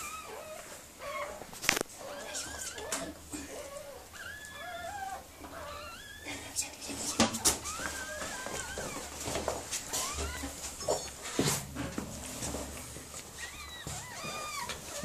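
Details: Mirella, a Miniature Pinscher, whimpering while giving birth to puppies: many short, high, wavering whines and squeals in quick succession, with quiet voices of people nearby and occasional sharp knocks.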